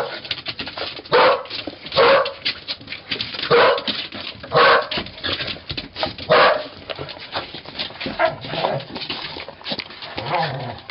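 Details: Cardigan Welsh corgi and Pembroke Welsh corgi dogs recorded on 13 May 2011, sharp barks in an irregular series, roughly one every second, with quieter yips and whimpers between them.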